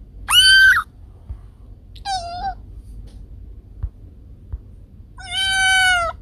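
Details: Rat-repelling cat sound: three separate meows spaced about two seconds apart. The first is short and loud, the second brief and quieter, the third long and steady, with near silence between.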